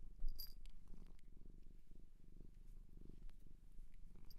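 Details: Cat adopted from a shelter in Japan, purring steadily indoors: a deep, rhythmic low rumble pulsing several times a second, with a faint click and light rustling near the start.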